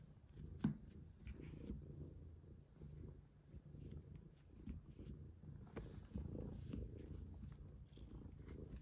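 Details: Domestic cat purring indoors while being played with and fitted with a collar; a low, steady rumbling purr with a sharp click near the start and soft handling rustles throughout.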